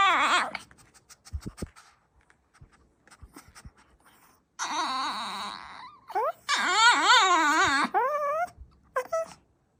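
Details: Indoor dog making odd vocal sounds: long wavering, yodel-like whines that rise and fall in pitch, in bursts of one to two seconds, separated by quieter clicks and panting in a small room.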